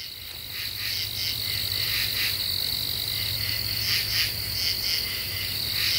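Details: . Common true katydids singing at night in a deciduous forest of the eastern U.S. in late July, after the cicadas have stopped. Raspy clustered pulses repeat in quick bursts over a steady high insect whine and a low hum.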